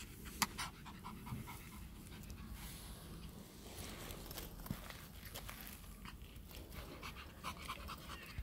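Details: A Pomeranian Spitz playing outside on a sunny day pants softly in uneven breathy puffs. A steady low rumble like wind runs underneath, with a sharp click near the start.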